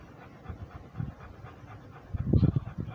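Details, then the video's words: Rhodesian Ridgeback walking and breathing, low rough puffs of breath, faint near the start and swelling into a louder cluster of gusty pants near the end. "Rhodesian ridgeback walking and breathing"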